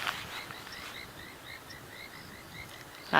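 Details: After rain at sunset in the Sabi Sands, South Africa, a frog chorus at a dam, including painted reed frogs, gives short, high, whistled notes repeated several times a second, with an olive toad croaking in the background.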